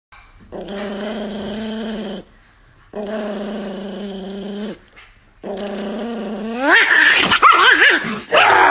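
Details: Pet dog from a funny pet compilation makes three long, drawn-out growling moans in a low, buzzy voice, each lasting about two seconds with short pauses, ending in higher, sliding whines and yelps.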